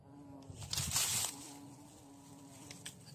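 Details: Bee caught while insect hunting in the bush: a steady, low, even buzz holding one pitch throughout, briefly masked by a loud rustling handling burst around the first second, with soft clicks near the end.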